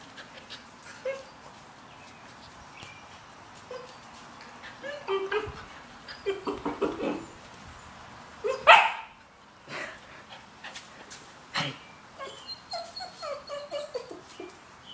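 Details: Riley, a puppy, trying to pull a quad: short high whines and yelps come in scattered bursts, with one loud, sharp rising yelp midway and a quick string of whimpers near the end, over faint rattling and handling noises.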